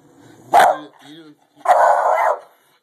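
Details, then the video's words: Daisey, a pet dog, during a fight: two harsh, loud barks about a second apart, the second drawn out into a long rough growling bark, with a softer voice-like sound between them. "Daisey Fight"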